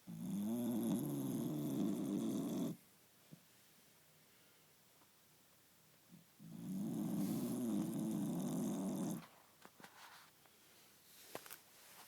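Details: Snoring from Cookie the dog: two drawn-out raspy breaths, each close to three seconds, roughly six seconds apart, low and fluttering, with quiet pauses and faint clicks between them.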